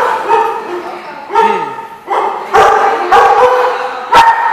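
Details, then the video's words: Loud, irregular dog barks, single and doubled, mixed with a short falling whine early on, over a steady harmonic hum, ending with one sharp bark. "The Barking Lot"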